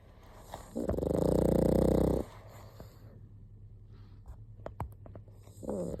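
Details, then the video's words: A pug snoring: one loud, rough, buzzing inhale lasting about a second and a half, followed by quieter breathing and a few small clicks, then the start of another snore at the end. "パグ いびき"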